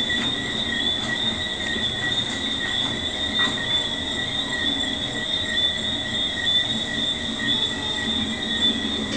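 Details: Tree frogs calling on a warm, still night at a resort in Runaway Bay, Jamaica, heard from a balcony: a dense, steady chorus of high thin whistled tones layered around two pitches, continuous throughout with faint clicks, no pauses.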